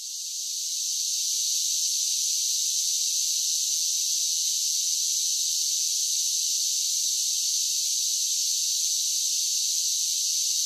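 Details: Singing cicadas on a summer day: a shrill, uniform buzzing wall of sound that rises quickly at the start and then stays level and unbroken throughout.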